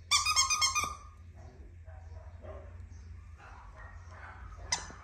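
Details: Female Keeshond puppy letting out a quick burst of about five high, sharp yapping barks within the first second. Near silence with faint rustling follows, then one short yip at the end.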